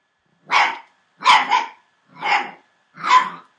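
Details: Entlebucher Mountain Dog puppies, 36 days old, from a litter born 28 December 2014: four short, high yapping barks spaced about three-quarters of a second apart, the second one doubled.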